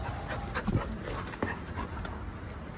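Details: Golden Retriever, described with a puppy tag, heard in a short stretch of dense, rasping breathing with soft broadband bursts and a few sharper knocks or thumps nearby.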